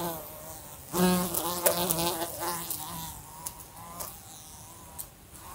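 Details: Fly buzzing in a room beside a lamp, bumping into it: a harmonic-rich droning hum with wavering pitch, loud bursts and sharp clicks as it strikes the lamp, fading between passes.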